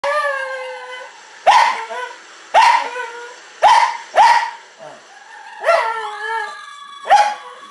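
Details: A female Cairn Terrier gives sharp, high barks in bursts, each trailing into a whiny, wavering tail, reacting to fox sounds being played.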